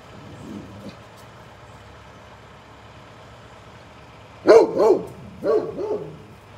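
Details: Big Great Pyrenees dog barks at a passing mail truck; quiet truck noise first, then a sudden run of four loud, deep barks in two pairs near the end.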